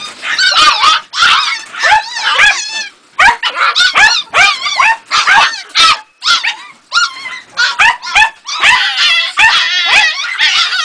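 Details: Two-and-a-half-month-old Jagdterrier puppy Ega yelps almost nonstop: high, wavering, whiny yips in quick clusters, separated by short gaps.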